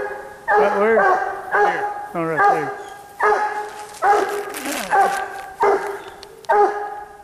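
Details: Treeing Walker Coonhound named Bandit barking at a treed raccoon during a coon hunt, in cold weather. Loud harmonic barks come roughly every second with a bawling drawn-out note, and a man speaks briefly to the dog.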